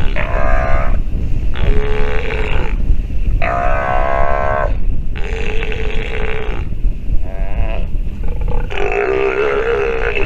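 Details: A sea lion pup at the teat voices loud, drawn-out harmonic bleats in regular bursts roughly every second and a half, with a heavy low wind rumble beneath.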